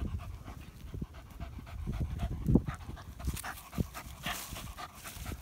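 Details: German Hunting Terrier during badger hunting, panting heavily in uneven low breathy bursts, with rustling and scraping throughout and brighter hiss in the second half.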